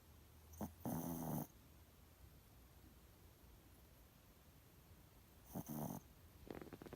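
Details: Pomeranian asleep and snoring, giving two drawn-out, rough, rattling snores about four and a half seconds apart, with a faint start of a third at the end, in an otherwise quiet room.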